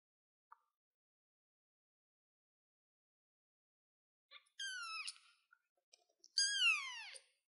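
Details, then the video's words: Kitten on a chair, quiet at first, then two high mewing cries about two seconds apart. Each cry falls in pitch, and small soft noises are heard around them. "baby cat sounds cute kitten kitty cat on the chair"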